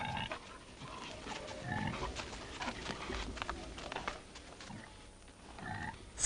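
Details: Male wild boar and female domestic pig in heat put together for mating, the boar awkward on his first time; soft irregular grunts and snuffles scattered through the recording, with rustling and low handling noise.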